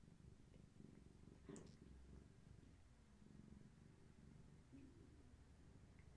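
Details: Heavily pregnant long-haired tabby Gaia, carrying many active kittens, purrs during an indoor afternoon session, leaning against someone holding her; a low, even rumbling throughout, with a brief faint brighter sound near the middle.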